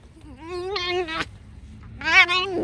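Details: Alice, a tame fox, lets out two rising, strained squeals, each climbing and then breaking into a harsher, shrill top before cutting off.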